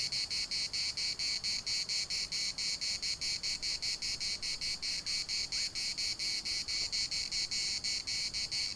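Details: In a municipal park in Larnaca, cicadas keep up a piercing pulsed buzz, beats coming about four per second with slightly uneven spacing, dominating a quiet background.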